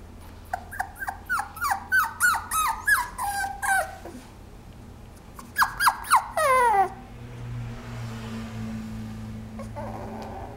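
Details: Cavapoo, a Toy Poodle and Cavalier mix, giving a run of high, sliding whines and yelps about four per second, a pause, then a second burst of falling whimpers, over a steady indoor hum.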